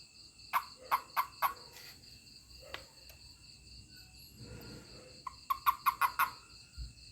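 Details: A toad reacting to being touched gives two brief runs of quick, rasping chirps, one at the start and one near the end, separated by a quieter stretch with steady electronic whine behind.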